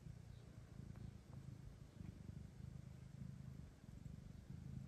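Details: Soft, continuous rumbling purr of a house cat, rhythmic low throbbing broken by short gaps; nursing mother cat Kira being introduced to two blind orphan kittens she may adopt.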